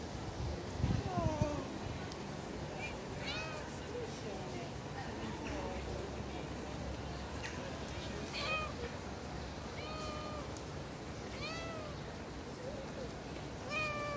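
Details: Hungry stray street cats following a person for food, meowing repeatedly: short rising-falling mews come every second or two, some faint and overlapping, over constant outdoor street noise with a brief thump near the start.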